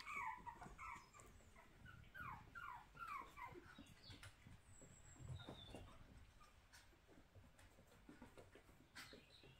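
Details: Puppies born and reared in a home puppy room, giving a rapid run of high, squeaky whimpers that slide downward, clustered in the first three seconds, then quieter scattered squeaks over soft rustling and low indoor rumble.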